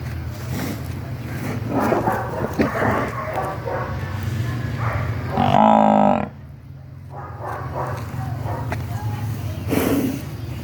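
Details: Water buffalo (Bubalus bubalis), call: mother calling for her missing newborn calf.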